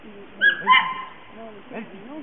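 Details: Elfy du Clocher Tord, a 7.5-month-old female Border Collie, at a herding course in St-Côme-d'Olt on 18 August 2009, on her first contact with ewes; two short, high-pitched yelping whines in quick succession, followed by faint voices.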